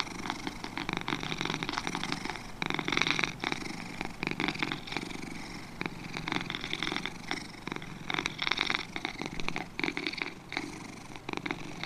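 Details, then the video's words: Two domestic cats purring in a long relaxation recording, a continuous rough rumbling pulse with bursts of breathy texture swelling and fading through the clip, steady and unbroken. "2 Cats Purring"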